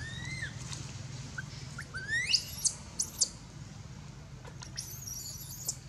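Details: Baby monkey Anissa at Angkor Wat temple, crying in pain after another monkey, Aron, hit her and dragged her across hard ground. A few arched, whistled wails, then short shrill squeals rising very high. A steady low hum underneath.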